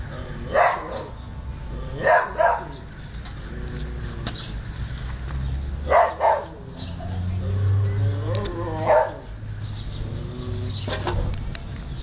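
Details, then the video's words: Siberian Husky pups at play and feeding let out sharp, isolated yelps spaced a few seconds apart, some doubled, between softer drawn-out whimpering whines over a low background hum. "Husky Cachorros jugando y comiendo"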